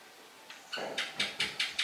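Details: A kitten found on the street gives a quick run of short, high, harmonic cries, about five calls spaced evenly roughly every fifth of a second and growing louder, over a quiet indoor background.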